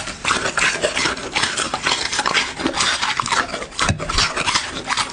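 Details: Dog chewing its food in close ASMR sound: sharp crunches and smacking clicks come in quick bursts, with a faint clink near the end.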